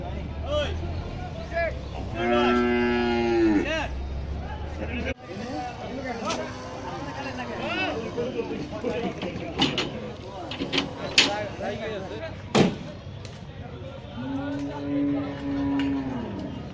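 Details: Aussie bull during unloading at Paragram Haat, owner slipping in mud: one long moo early and another near the end, with a busy middle of sharp knocks, thuds, voices and market commotion.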